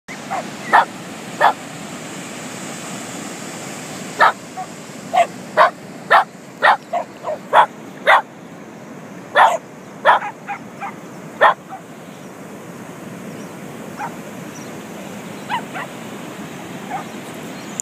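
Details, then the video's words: Five poodles at the beach, excited and going crazy, giving short sharp barks and yips in irregular bursts, clustered between four and twelve seconds and sparser afterwards, over steady surf-like background noise. "We saw these 5 poodles at the beach 2 days ago and they were going crazy!"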